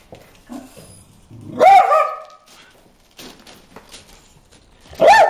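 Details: Dog barking at fish in a water hole: two loud, sharp barks a few seconds apart, the first at about 1.7 s and the second at the end, with quiet rustling between them.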